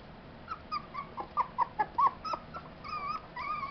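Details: Tibetan Terrier puppies of a kennel's C litter, born July 11, 2012: thin, high squeaks and whimpers, a burst of short squeals in the middle, then longer wavering whines toward the end over faint background hiss.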